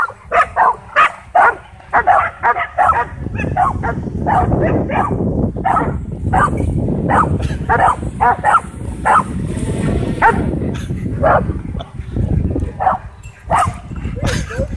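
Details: Dogs at a dog park worked into a frenzy by a DJI Mavic 2 drone flying overhead, barking in rapid sharp bursts, many in quick succession, over low rumbling background noise and scattered voices.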